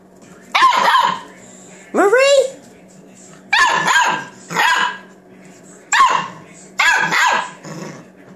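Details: Seven-week-old Australian Shepherd puppies at play, giving sharp yapping barks and one rising squeal, in short bursts about once a second, while a woman talks to them.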